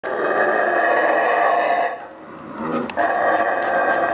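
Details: Mantled howler, called Saraguate, the screamer monkey, from Central American rainforest. It gives a loud, harsh, sustained roaring scream with a brief dip in the middle before the roar swells again.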